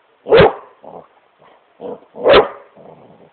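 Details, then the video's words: Great Pyrenees Smokey barking while playing on his couch indoors: two loud woofs with softer grumbling huffs and short low barks in between. "Great Pyrenees smokey barking at couch"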